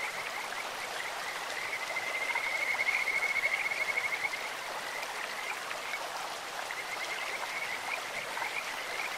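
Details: In a clear-flowing stream, a Kajika frog gives a sweet, bird-like call: one sustained high, finely pulsed trill in the middle and fainter trills near the end, set against broad rushing-water noise.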